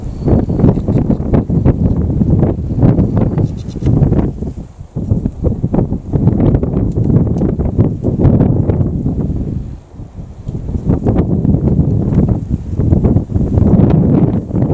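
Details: Wild boar seen in the wild while hunting hares give deep, rough grunts and snorts in steady bursts, broken by brief pauses.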